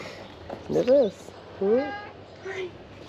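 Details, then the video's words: Hungry ginger cat lingering by a car gives three short arched meows, the first two rising and falling, the last softer and brief, while a person greets it softly. "The ginger cat did not leave the car and was trying to tell me that I was hungry."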